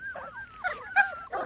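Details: Small Munsterlander puppies, 2.5 weeks old, outside for the first time with older dogs visiting; thin high whimpers and squeals overlap in short wavering bursts, several pups calling at once.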